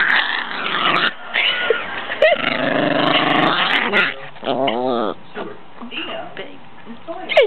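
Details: Pet Chihuahua objecting to being lifted while comfortable: a harsh, rumbling growl broken by wavering, whine-like sweeps and short yips, with human speech mixed throughout.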